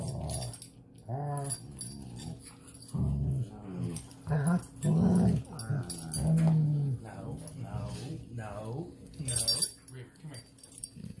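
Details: Pet dogs, among them a weimaraner, Dutch shepherd and plott hound, growling at playtime: rough, throaty rumbling growls in irregular bursts of one to two seconds, with gaps of quiet and some higher yelping tones.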